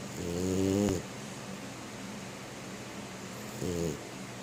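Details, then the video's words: Female French Bulldog snoring in her sleep, lying tucked into bed with paws in the air: a loud, harmonic, nasal snore lasting under a second, quiet breathing, then a shorter snore about three seconds later. "Frenchie Snoring in Her Sleep"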